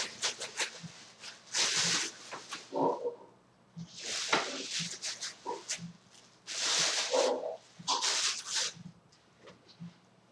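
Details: Two pet ferrets, Maleika aged three and Zallie aged five, at home with their owner: loud breathy hissing bursts alternate irregularly with short lower grunting snorts and soft scuffling.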